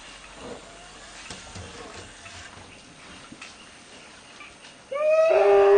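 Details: Elephant calf Penny, woken while sleeping in the bai, then shoved, kicked and harassed by the female Circe I, screams. Quiet forest ambience with soft rustles, then a sudden loud, harmonic, tonal scream bursts out in the final second and is cut off.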